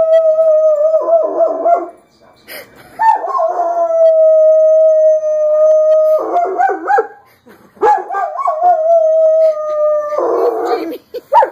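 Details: Jamie, a German Shepherd, howls back at fire engine sirens, sounding like one himself: sustained, level howls with wavering, broken endings, repeated about every three to four seconds, four bouts in all.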